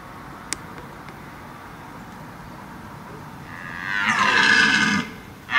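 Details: Red deer (Cervus elaphus) bellowing in Parco Nazionale d'Abruzzo, Lazio e Molise, Italy; after a quiet stretch with a faint click, a single loud, hoarse, rough roar swells and holds for about one and a half seconds near the end.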